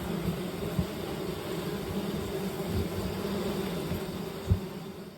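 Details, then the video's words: Honey bees at a beehive during a honey harvest: a steady, dense low buzzing hum holds throughout, broken by two sharp knocks near the start and end. "Harvesting honey. Beehive."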